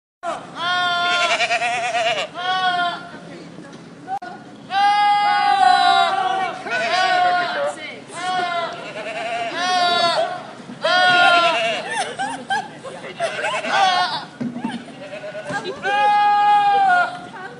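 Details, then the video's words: Goats screaming in a humanlike way: a run of about seven loud, strained, harmonic cries, each one to two seconds long, some wavering in pitch, separated by short quiet gaps. "Cabras gritando como humanos"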